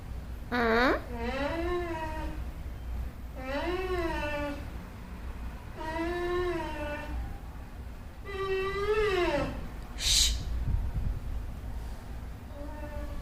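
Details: Dog named Mowgli, annoyed at being tied up, gives drawn-out wavering whine-howls that rise and then fall, each about a second and a half long, about five in a row every two and a half seconds, with steady low background hum.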